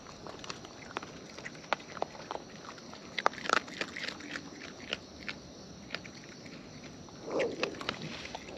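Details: Raccoons in the wild eating close by, rapid irregular chewing clicks several per second, a loud crunchy bite cluster in the middle and a brief rustling burst near the end.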